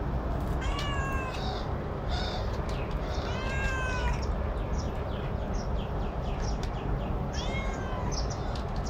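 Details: Domestic cat that likes to eat alone, giving a series of drawn-out, arching meows, some rising then falling, spaced irregularly through the recording, with a few short chirpy calls between, over a constant low rumbling background noise.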